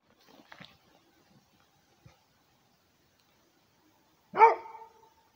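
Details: Rhodesian Ridgeback guarding, giving a single loud, harmonic bark near the end after a stretch of faint scattered sounds and near silence.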